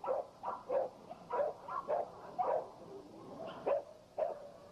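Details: American Pit Bull Terriers in a kennel yard, struggling with each other and trying to break loose. Short, sharp, mid-pitched barks and yips come in uneven bursts, roughly ten over five seconds.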